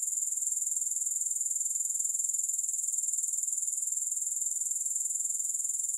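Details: Unbroken high-pitched grasshopper chirring, rhythmic pulses around four per second, constant in loudness with nothing else heard.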